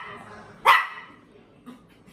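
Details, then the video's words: A single sharp, bright bark from a dog breaks through after faint talking, followed by quiet background noise and a soft second sound. "Som de cachorro latindo"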